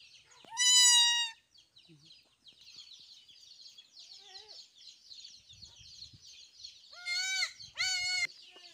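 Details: Goat kids on a farm, at the time of their vaccination and a newborn goat's arrival: a loud, high, quavering bleat, then after a pause two more bleats in quick succession, over constant high chirping chatter of birds or chicks and soft thumps.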